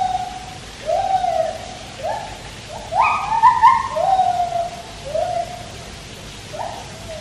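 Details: White-handed gibbons singing at Taipei Zoo, heard while a Malayan tapir swims: a run of loud whistled notes that climb and fall, quickening into overlapping rising hoots mid-phrase, over constant rushing-water hiss.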